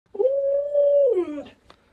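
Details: An Alaskan Malamute guarding chickens and refusing to let its owner touch the chicks gives one drawn-out howl, steady and level, then sliding downward at the end. A brief click follows in a small room.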